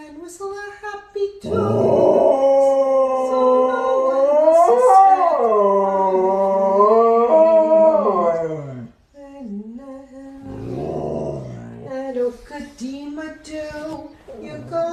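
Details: Dog howling in long wavering phrases that rise and fall in pitch over several seconds, pausing, then resuming with shorter, broken howls.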